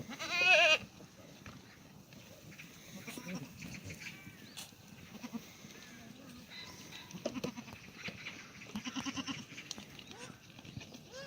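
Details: Black goat on a farm near Gimhae, South Korea, calling in the goat exercise yard on a clear, sunny Tuesday morning; one loud, wavering, harmonic bleat under a second long opens, then faint rustling and distant farm noise.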